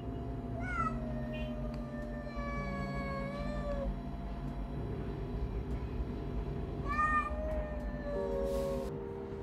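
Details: Mother cat, a hungry stray rescued from streets of car repair shops in Istanbul, recently gave birth to four kittens; two stretched meows, one near the start and a shorter one later, above a constant low droning background.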